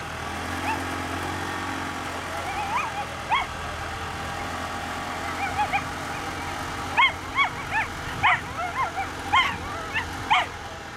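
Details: Male whippet Finlay Bragi at a 2019 run, the second heat: excited, arching high yelps and whines, sparse at first, then a rapid burst of yips from midway on, over a steady low engine hum.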